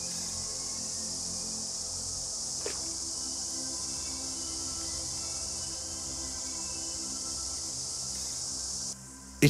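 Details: Cicadas at the start of their season, several species large and small, sitting in trees along a river; a dense, steady, high-pitched buzzing chorus runs unbroken for about nine seconds, then drops away abruptly, with faint music underneath.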